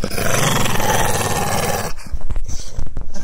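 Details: Staffordshire bull terrier urged to attack with a Spanish command, giving a deep, rough, continuous growl for about two seconds that ends abruptly, followed by scuffling thumps and clicks.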